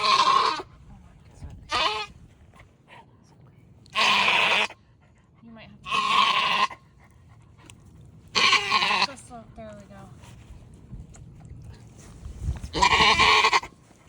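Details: First-time mother Maggie, a Nigerian Dwarf dairy goat in Northern California, in labour with twins: six harsh, hoarse bleats at irregular intervals, mixed with a woman's encouraging voice.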